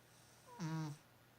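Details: A sleeping cat gives a single short snore, a buzzy, nasal rasp with a bright whistling overtone lasting under half a second, then quiet indoor hum.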